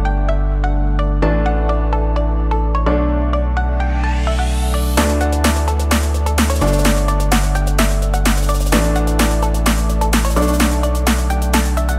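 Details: Electronic dance music with a heavy bass beat, layered synthesizers and a rising sweep, with no animal sounds.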